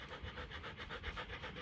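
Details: Rhythmic breathy panting of a 15-month-old female Rottweiler, Kute Gervi, daughter of Bruno tí hon and Cynia Gervi, with even fast bursts and a low background hum.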